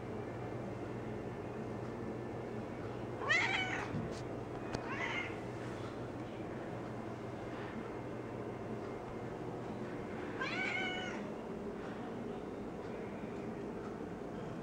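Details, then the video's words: Female house cat doing her perimeter check indoors. Two short, rising-falling meows about seven seconds apart sit over a steady low hum, with a few faint clicks in between. "Perimeter Check"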